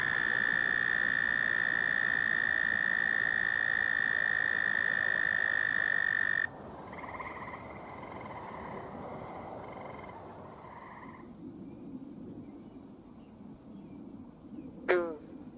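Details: Frogs calling in Michigan: a long, steady, high trill holds for about six seconds, followed by shorter trills that overlap and fade, then quieter background and a single sharp sweep at the close.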